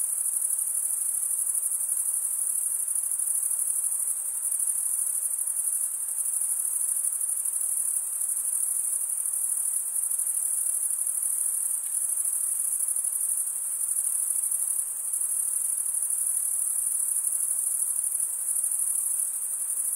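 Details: Chirping crickets, males producing sound by scraping the wings together, form an unbroken, piercing high whine that barely wavers in loudness across the whole stretch, with no other sounds.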